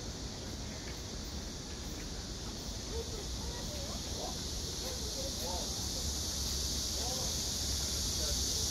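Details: On 31 August 2024, a blackish cicada's loud, steady, hissing drone runs unbroken through the clip.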